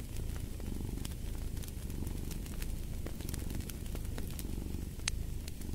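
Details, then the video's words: Continuous deep purring from a domestic cat, a soft vibrating drone beneath fireplace crackles and a few louder pops from the burning wood. "Fall asleep to the Purring of a Cat & Fireplace"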